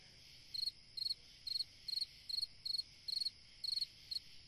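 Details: A cricket sings through a summer night, a steady run of high chirps, each made of three or four rapid pulses, spaced roughly half a second apart, over a soft continuous background hum.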